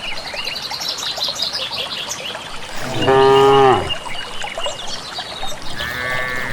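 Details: Single short moo from cattle walking to a grass field in rural village country, preceded by busy birdsong and trickling background, a fainter call starting at the end.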